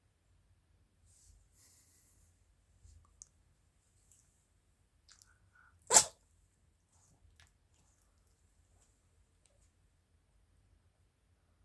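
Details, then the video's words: Chirol, a female Maltese x Shih Tzu born 22 July 2017 to a Maltese father and Shih Tzu mother, gives one sharp, explosive sneeze midway through near-silence, preceded by faint sniffs and small rustles. "マルシーズー ちろる くしゃみ"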